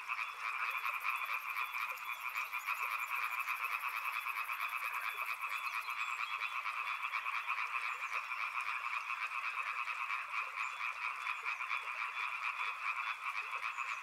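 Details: Many frogs croaking near a river in a continuous, pulsing chorus of rapid trills; a thin high whining tone sounds during the first few seconds above the steady calling.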